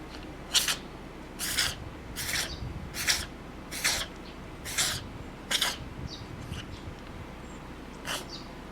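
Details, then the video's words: A cat caught mid-fit of intense sneezing, spraying mucus as it goes. Eight forceful, noisy bursts come in a loose series, slowing slightly, followed by a last isolated sneeze after a short pause. "猫 くしゃみ連発でグショグショ The cat which sneezes intensely"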